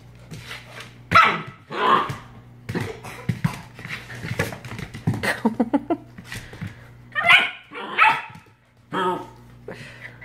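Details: Australian Shepherd puppy barking at a bottle brush that attacks it; loud, irregular barks and yips, several close together, mixed with laughter and voices.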